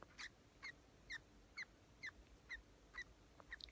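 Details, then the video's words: Orphaned eight-week-old female grey-headed flying-fox baby in care, dropped by her mother during a starvation event, squeaking while feeding: short high chirping squeaks repeated roughly twice a second in an even series, with faint background hiss. "Baby bat squeaks while feeding"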